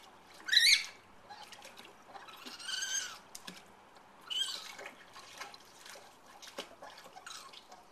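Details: A baby raccoon swimming in a pool at night gives a few thin, high chirps among splashing water sounds.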